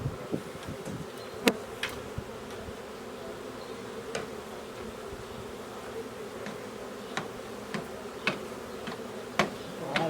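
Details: A swarm of honey bees hums with a steady, low drone, broken by sharp knocks and taps. The swarm is being caught and boxed in April 2021, and its ball of bees may hold the queen. A donkey hollers nearby.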